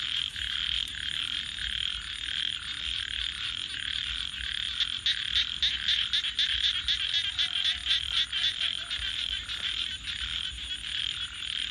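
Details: Frogs call at night in a dense pulsed chorus that grows into quicker, more distinct rapid croaks in the second half, with a faint low tonal note near the end.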